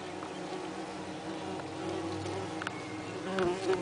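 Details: Nest of Saxon wasps in a nest box, 30 June 2010, workers ventilating in the heat through holes in the envelope; continuous hum of many wasps that swells louder toward the end, with light clicks.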